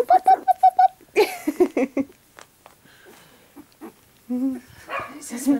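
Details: Puppies getting mobile give a quick run of six short, high, even squeaks in the first second, followed by soft yelps mixed with a person talking nearby.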